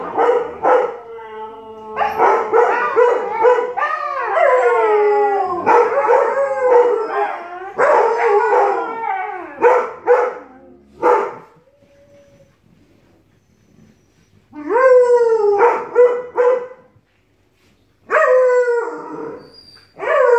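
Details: Siberian Husky and Alaskan Malamute puppy squabbling vocally: bursts of yappy, sliding howl-talk in fast series, a long quiet stretch midway, then two separate rising-falling howls and a final short call.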